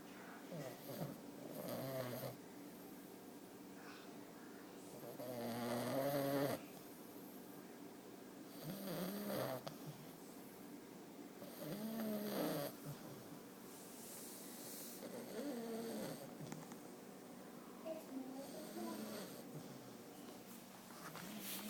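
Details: A male English Bulldog puppy snores while sleeping, as he always does, in deep, rattling breaths roughly one every three seconds.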